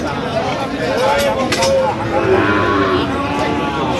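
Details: Bull calves, Friesian and cross-bred, traded at Aftabganj market in Dinajpur on 7 September; a couple of short, tonal bellows sound over a constant background of people talking and market bustle.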